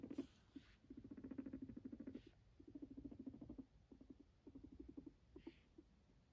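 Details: Pet guinea pig with fluffy coat purring sweetly next to its owner, giving low vibrating pulsed bursts in three or four runs of roughly a second each, separated by brief quiet gaps.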